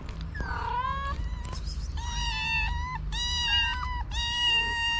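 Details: Feral kitten and its mother waiting to be fed and to play: several drawn-out, harmonic-rich meows overlapping, some rising then flattening, with a low steady rumble beneath.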